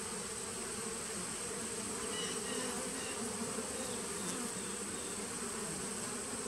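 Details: Colony of honey bees kept as a 2017 nuc, heard on 19 September 2018, giving an unbroken low drone. The thick humming layer holds steady, with faint scratchy flickers higher up.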